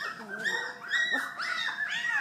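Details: Three-week-old Collie puppies in a living room make a series of high, harmonic whimpers and squeals, each arching up then sliding down, several overlapping in quick succession, with a woman's quiet voice underneath.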